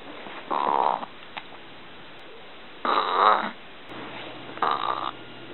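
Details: Three throaty burps from a little dog, spaced over about five seconds, each a rough half-second burst, the middle one loudest, with a faint low hum indoors.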